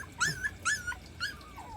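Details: Two of three 40-day-old rural puppies whimper below stairs they cannot climb while the third has already made it up; three high, thin whines, each rising then sliding down, about half a second apart, the last trailing off lower.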